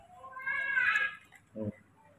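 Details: Baby monkey kept as a pet, calling for milk after waking up in the morning; a high, harmonic, wavering cry of about a second, followed by a short low grunt-like sound, indoors.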